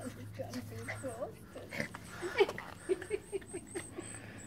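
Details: Yorkshire Terrier puppies meeting each other for the first time give short, high squeaky whimpers and yips among soft human voices.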